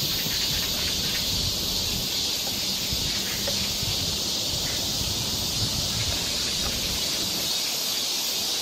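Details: Cicadas droning in a summer forest in Seoul, Korea, their high hissing buzz continuous in the background, mixed with a broad rustling, leafy noise that fills the lower range.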